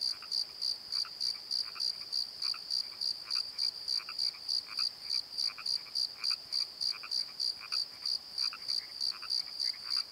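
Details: Crickets after dark in a valley bottom near the Pozo Night Tree, filmed with a Nikon D7100: bright rhythmic chirps about three per second, joined by frequent lower croaking frogs across the whole stretch.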